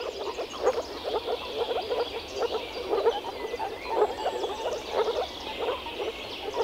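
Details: Chorus of male moor frogs in early spring at a forest pond where they gather to mate, producing croaks with their vocal sacs; soft gurgling notes repeat roughly twice a second, some louder nearby calls standing out.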